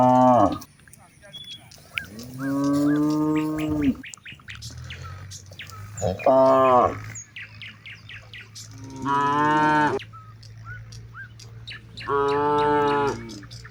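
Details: Cattle among hundreds grazing in a wide rice field in the late afternoon, a cow calling its companions to head home before dark: five long, harmonic moos about three seconds apart, some wavering, with bird chirps in the background.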